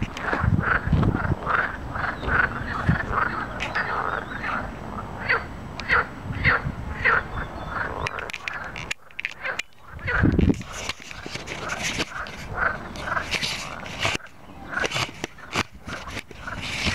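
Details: Natterjack toads (Epidalea calamita) at Plaiaundi Ecological Park sing in chorus with loud, rattling trills repeated in quick bursts.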